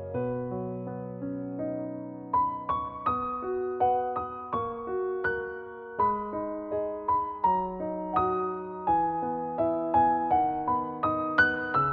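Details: Soft electric piano music plays a slow, gentle melody with no animal sounds.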